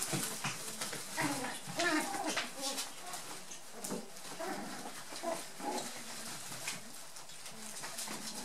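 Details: Nearly eight-week-old dwarf-toy poodle puppies, brown and one black, from Sasha's second litter, romping in a play tunnel; scattered high squeaks and brief yips over constant scuffling, with human voices talking in the background.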